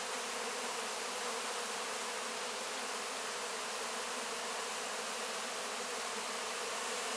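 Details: Honey bees cleaning up honey-covered wax cappings after harvest, heard close: an unbroken, even droning buzz of many bees, low hum beneath a broad airy hiss.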